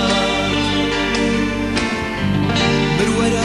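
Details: Loud guitar-led music with singing fills the whole stretch, dense and steady, with no animal sound heard.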